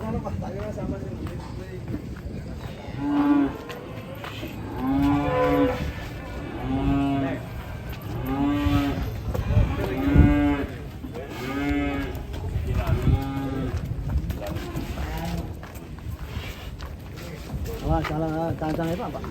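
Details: Cattle, angry as it is about to be sold, gives a series of long, harmonic-rich moos, one every one to two seconds, some rising and falling, with low rumbling background noise.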